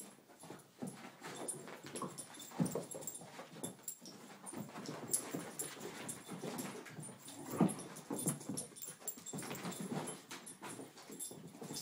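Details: Two dogs tumble-fighting in play during their morning routine; steady low rumbling growls and grumbles with scuffling bursts throughout, and a brief higher whimper-like note near the middle.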